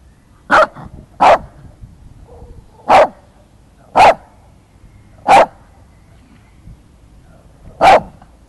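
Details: Shih Tzu named Bobi barking because he dislikes being filmed: six sharp, loud barks at irregular gaps of one to two and a half seconds, with quiet room background between them.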